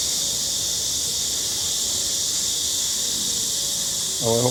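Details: A chorus of cicadas on a hot summer day makes a steady, high, hissing drone during a daily walk, with a person's voice briefly at the end.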